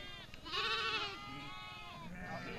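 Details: In the Jungalmahal forest where sheep are reared, a loud, quavering bleat swells and then falls after about half a second, followed by softer, drawn-out bleats from other animals of the flock.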